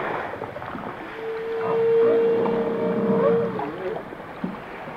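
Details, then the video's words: Whales singing underwater: a long, even tonal moan lasting about two seconds, overlaid by wavering, warbling lower notes that rise and fall, over a steady watery hiss. "The song of the whales"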